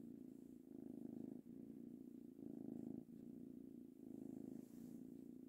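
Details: Purring of a pet ginger kitten named Tango, aged three months, as he is stroked; deep buzzing drone rising and falling in regular cycles of about one to one and a half seconds.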